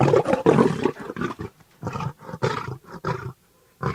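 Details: Bengal tiger (Panthera tigris tigris), roar.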